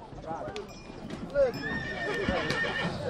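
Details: Stallion from Breaza, Bistrița, recorded in 2022: a brief whinny with a sustained, slightly falling high harmonic tone in the middle of the clip, heard over people talking nearby.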